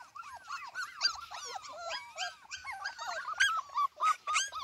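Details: Several Cardigan Welsh Corgi puppies left in the garden without their mother, crying in rapid overlapping whimpers, each a short rising-then-falling squeal, with brief louder yelps scattered through.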